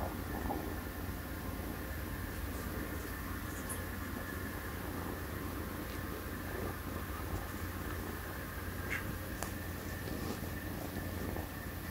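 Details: A steady low hum and soft broadband noise, like a fan or distant traffic, with no clear animal voice.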